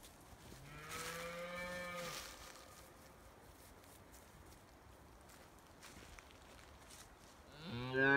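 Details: Highland cattle, a Scottish breed raised on a Finnish farm and living outside all year in forest; one steady, level moo of about one and a half seconds, a quiet pause, then another loud moo beginning at the end.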